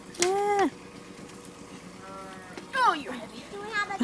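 A goat gives a loud, nasal bleat, followed by shorter, wavering bleats that fall in pitch.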